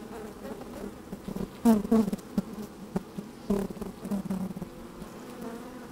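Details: Inside an open beehive on a sunny day, worker honey bees moving about close to the microphone: a low hum broken by sharp, irregular buzzing bursts, the loudest just before two seconds and around three and a half seconds.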